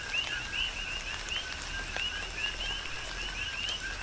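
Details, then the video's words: Big Island, Hawaii: coqui frogs in tropical rain, clear two-tone calls, a low note then a rising whistle, repeated roughly every half second by several callers, backed by rain patter and occasional louder drips. "Tropical Rain & Coqui"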